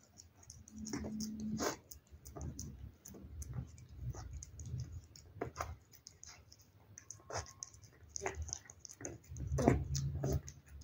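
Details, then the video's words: Cat eating wet food indoors: irregular wet smacking, licking and chewing clicks, about four per second, with soft thuds of the bowl and quiet room background. "cat eating asmr"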